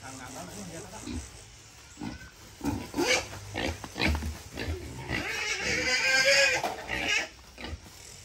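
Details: An eleven-month-old wild boar, kept and fed erratically, caught to be weighed and sold: short grunts build into a long, shrill, rasping scream near the end, with male voices speaking over it.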